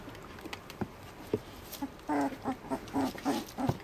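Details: Three-week-old Border Collie puppies from Queenie's litter; from the two-second mark a rapid run of short squeaky grunts and whimpers follows, about three per second, over soft rustling.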